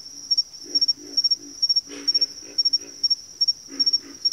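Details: Frog chorus in a backwater: a run of short, deep grunting croaks in uneven groups, one frog louder midway, with an unbroken high-pitched pulsing insect trill behind.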